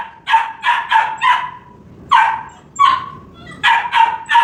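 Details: Labrador Retriever puppy playing with a hen: clusters of short, high, sharp yips and barks, three or four quickly in a row, then single ones after short pauses.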